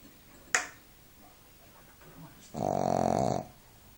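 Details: Duke the Shih Tzu asleep during a nap: a sharp click early on, then one long, rough, vibrating snore lasting about a second near the end.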